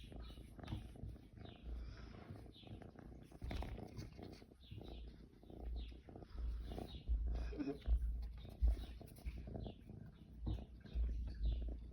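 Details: A young kitten's purr, filmed in June. A deep, throbbing rumble swells and fades in uneven waves and grows stronger in the second half, with light rustling and soft handling noises.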